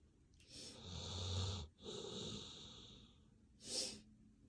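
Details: Sleeping dog snoring: two long, breathy, wheezing inhalations with a low rumble beneath, followed by a short hissing puff of breath, in a quiet room.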